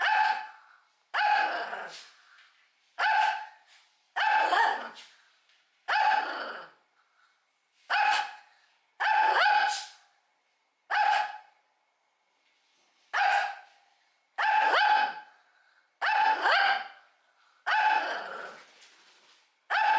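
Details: Shih Tzu barking nonstop to threaten at mealtime: about fourteen forceful harmonic barks in twenty seconds, spaced irregularly, with a few quick doubles and one longer pause near the middle.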